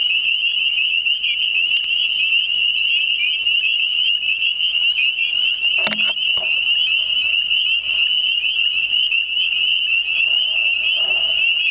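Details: A dense spring chorus of frogs, unseen in the surrounding vegetation near still water, gives a continuous high-pitched trilling from many callers at once.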